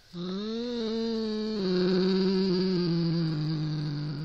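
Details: Siamese cat named Norrington growling at a rat toy indoors: a long, steady, low harmonic yowl-growl held for four seconds, wavering slightly and sliding gently downward, with a faint high hiss above.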